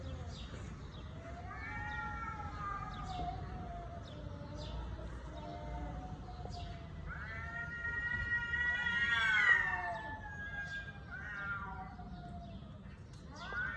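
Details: Cat giving several drawn-out meows, some short and descending, others long and rising to a louder, higher wail near the middle, separated by quieter pauses with faint background noise.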